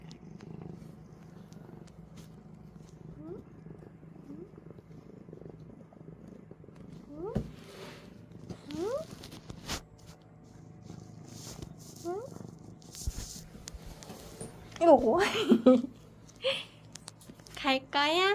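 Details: Sphynx cat with a soft low purr and brief chirping calls early on, building to several loud, harmonic, drawn-out meows near the end.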